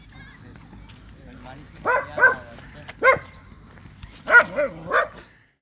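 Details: American Staffordshire Terrier named Caramello giving about six short, sharp barks in loose bursts over three seconds, some doubled, with people talking quietly in the background.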